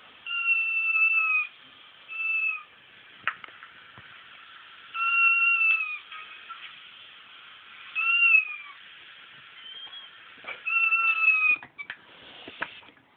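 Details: Crying kitten sounds played as a joke to Frank, a female pet cat who was once a mother; five descending, whiny meows, each about a second long, spaced irregularly with quiet gaps and a few soft clicks between.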